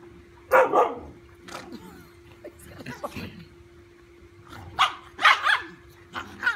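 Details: Dachshund playing fearlessly with a big golden retriever puppy indoors: short, sharp, loud barks in bursts near the start and again toward the end, some quieter yips and growly noises between, with a steady electrical hum underneath.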